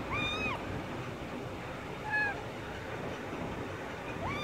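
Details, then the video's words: Chuti, a kitten caught in a net, giving three thin, brief meows, one every two seconds or so, half-buried under loud broadband rushing noise. "বিল্লি নেটে আটকাই গেছে | Kitten Stuck in Net"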